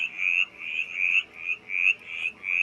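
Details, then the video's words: A mountain chorus frog calls in a rapid series of raspy, rising trills, each about half a second long; its call resembles the Pacific tree frog's. "yes the mountain chorus frog is calling"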